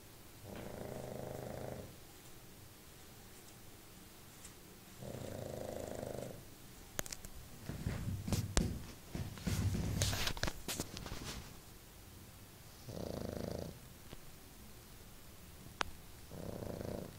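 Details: Pug sleeping on a bed snores in slow rhythmic rumbles every few seconds, interrupted midway by clattering knocks and rustling in the room.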